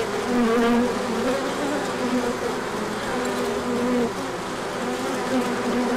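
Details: Many bees in a large orientation flight on a sunny day following colder weather, with pollen coming in; thick humming drone of countless wings, individual buzzing tones sliding up and down over a constant roar.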